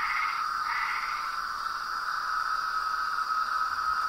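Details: Night chorus of toads, frogs and tree frogs forms a continuous layered drone at two high pitches, with brief fluttering notes near the start and no distinct individual calls.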